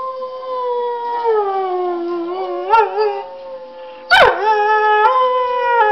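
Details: Domestic dog howling at a laptop; a long wavering howl dips and wobbles in pitch, then a sudden loud yelp leads into another sustained steady howl.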